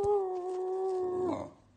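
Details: Basenji dog indoors giving a sustained, steady tonal howl with rich harmonics, held level for over a second before breaking upward and fading out.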